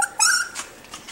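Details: Miniature Schnauzer puppies aged five to six weeks, waiting indoors for breakfast, give a brief high whine that jumps to a louder, thin squeal before fading into quiet room noise.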